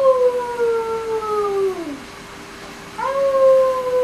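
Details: A Siberian Husky howling along with its owner gives long, clear howls that sag slowly lower and fade, then after a short silence starts a fresh howl, swooping up and holding steady.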